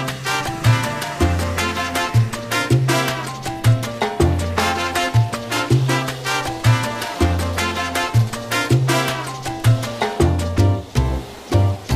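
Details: Lively salsa music with a driving bass line, brass and steady percussion throughout; no animal sounds are heard.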